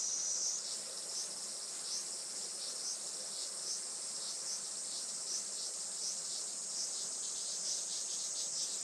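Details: Cicadas in July at a rural farm in Saitama, Japan, sunny late morning: an unbroken high-pitched drone with faint regular throbs roughly once a second layered through the chorus.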